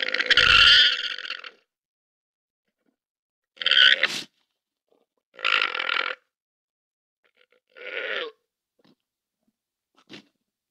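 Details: A domestic llama (Lama glama) gives a series of harsh, breathy, grunting calls separated by short silences.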